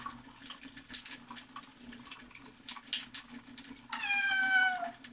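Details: Domestic cat meowing while being given a shower: one drawn-out, falling meow near the end, after a stretch of running water and quiet soothing speech.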